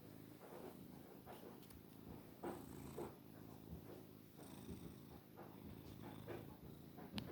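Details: Isaac, a long-haired male Maine Coon cat and a really loud purrer, lying lazily, gives a continuous low purr, a throaty rumble pulsing evenly with each breath; faint clicks and handling noises over the drone.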